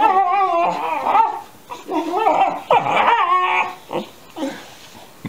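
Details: Alaskan Malamute puppies aged 13 weeks yowl back and forth indoors under a chair; continuous wavering, harmonic yowls with bending pitch, then shorter whimpers and fading yips.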